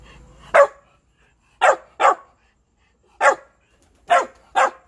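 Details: Shiba Inu dog barking to beg for food: six sharp, loud barks, a lone one, then a quick pair, a single, and a final close pair, with clear silences between.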